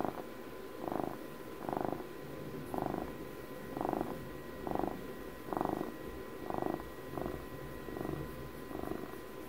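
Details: Purring from Puppy, a pet cat turning twelve, recorded close for ASMR: rhythmic throaty rumble rising and falling about once a second, each swell pairing an inhale and exhale, over a low steady hum.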